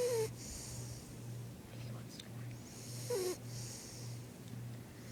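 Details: Sleeping pet dog snoring: low, even snores repeat about every half second, steady throughout, with two brief squeaky rising tones over soft background hiss.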